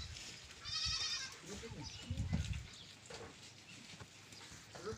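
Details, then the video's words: Goat on a farm uttering one short quavering bleat early on, followed by human voices, low thumps and handling noise. "BAKRI ki awaaz"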